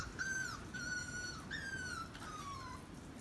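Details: Puppies from the first half of Betty's litter playing with a German Shepherd; four drawn-out, high whines over about three seconds, the first steady, the last sliding downward, over a low background hum.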